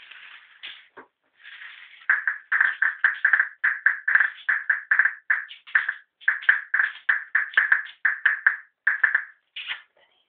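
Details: A ferret gives rapid, squeaky chattering bursts, several each second, while fighting over food.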